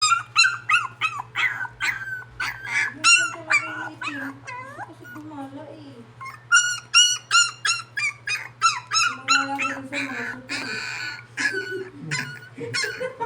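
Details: Poodle crying indoors with rapid, high-pitched whining yelps repeated about three times a second in uneven bursts, while people talk in Tagalog alongside.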